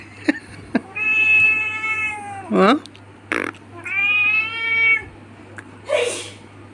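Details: Domestic cat indoors giving long drawn-out meows, each a sustained tonal wail with rich harmonics, the second rising then falling, separated by short sharp sounds; a person then replies briefly.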